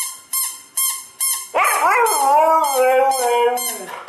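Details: A Siberian Husky named Nyockyee responds to a sound: three brief, fading tones give way to a loud, drawn-out howl that first rises sharply, then wavers and settles lower.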